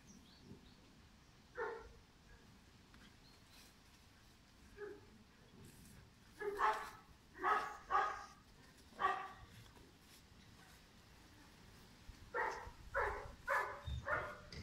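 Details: Pirat, a five-month-old German Shepherd puppy bred for sport or police work, barks in loud sharp bursts: a few isolated barks early, a cluster of four around the middle, then a quick run of four near the end, over faint background noise.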